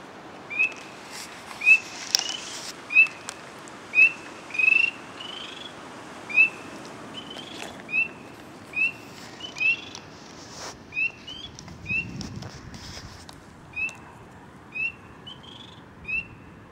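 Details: Several frogs calling near water, giving short, high, rising peeps roughly once per second in a steady series, some overlapping from different callers, over a soft background hiss.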